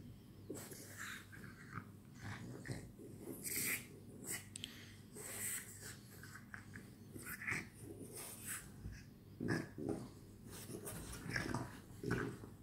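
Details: French Bulldogs at play during the night; snorting, heavy breathing and gruff growls come in uneven bursts, with scratching and rustling between them.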